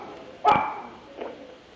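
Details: Dog barking in the background of a listener's phone call to a Medellín broadcast on 20 September 2012: one sharp, loud bark followed by a fainter second bark almost a second later, over a thin, hissy telephone line.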